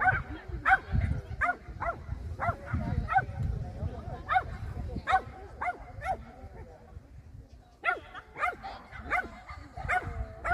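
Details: Small German Spitz (Kleinspitz) running an agility course in competition, 30 June 2024, XS3 class: bursts of quick, high yapping barks with a pause near the end, over low rumbling handling noise and a person's voice.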